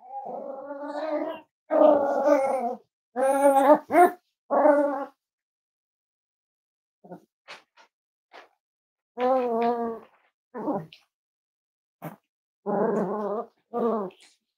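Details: Five-week-old Cavalier King Charles Spaniel puppies from Myra and Remy's litter at Red Barn Cavaliers, indoors on a chilly Thursday morning: bursts of harmonic, wavering whines and yelps, some with a growly edge, separated by short pauses and soft scuffling.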